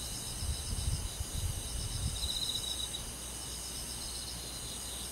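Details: Crickets and other insects on a summer night in the forest: high, steady shimmering trills with a pulsed chirping burst near the middle, over a soft low rumble.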